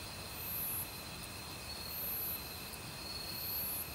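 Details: Crickets singing in a forest in autumn among other insects; a thin, steady trill continues while three very high buzzy pulses recur every one and a half seconds, backed by the wash of a stream.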